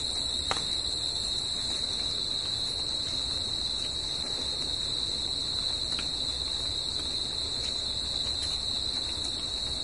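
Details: Night chorus of crickets in nature: a continuous shrill ringing tone that never breaks, with a few faint clicks and a quiet low background hum.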